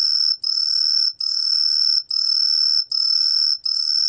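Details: Truljalia hibinonis cricket, recorded for Korea's National Institute of Biological Resources, 2020: high, shrill buzzing trills about half a second long, separated by short gaps, roughly six bursts, with a fainter lower tone beneath.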